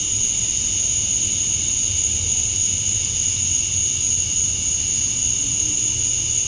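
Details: Cicadas singing at dusk on a summer night in Georgia, USA; males chirp to attract females. A steady, unbroken high shrill drone with bright bands, accompanied by a faint low rumble like distant traffic underneath.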